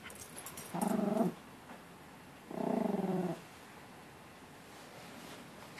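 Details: Pet dog growling while playing and biting its owner's hand indoors: two low, rough, buzzy growl bursts, the first about half a second and the second nearly a second long, over a steady background hiss.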